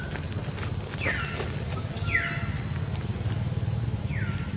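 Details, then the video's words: Frightened baby monkey screaming to alert its mother for help while an angry female monkey attacks it; three shrill squeals, each sliding sharply downward, spaced unevenly over a few seconds above a steady low rumbling background. "Baby monkey very scared and screaming to alert mom to help because female monkey angry her too much"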